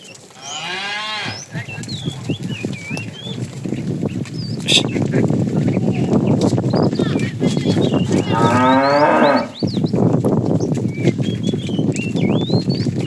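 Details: Tame cattle herded in the afternoon, a male calling the female: two shorter wavering moos over steady low rumbling and shuffling noise of the herd, with birds chirping throughout.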